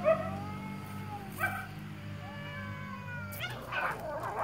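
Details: Sammy, the shop cat, yowls at a stray cat in a territorial fight: sustained wavering howls slowly bending in pitch, then a sudden burst of harsh scuffling noise near the end, with a low hum throughout.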